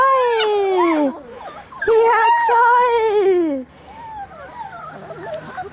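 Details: Labrador Retriever puppies from a B litter dashing through frost: two long, drawn-out whining howls, the first sliding downward, the second held level before dropping, then softer broken whimpers trailing off.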